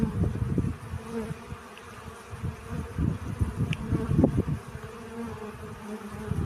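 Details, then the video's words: Honey bees at work collecting pollen, a low, grainy buzzing drone rising and falling as bees come and go, with a brief louder pass near the end. "Relaxing Bee Sounds. Сбор пыльцы."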